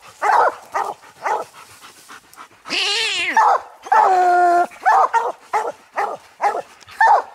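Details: Coon dogs Lucky, Mossie and Star treeing a ring-tailed raccoon at night's hunt; quick repeated barks give way to two long, ringing bawls in the middle, then more rapid chop barks, several dogs sounding together.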